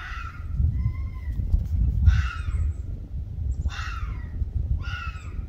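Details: Ianto the Arctic fox in a domestic dispute with Waverly the red fox: harsh, raspy harmonic calls in four bursts, each under a second, over steady low rumbling background noise.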